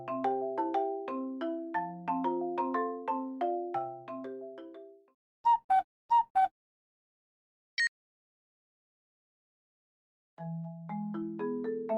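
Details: A marimba-like ringtone melody plays, breaks off for a few sharp clicks, then resumes after a pause.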